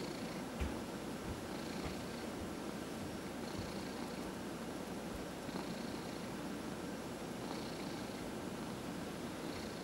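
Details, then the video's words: A cat purrs while receiving a massage: an unbroken low rumble with light hissing breaths about every two seconds, plus occasional faint taps. "Four Purring Cats — Cat Massage"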